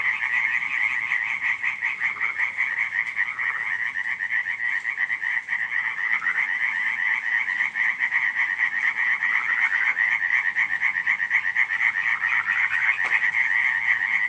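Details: Many frogs calling on a July night in 2015 at Radziszów, forming a continuous buzzing, pulsed croaking chorus with about four pulses per second audible and occasional louder individual calls standing out.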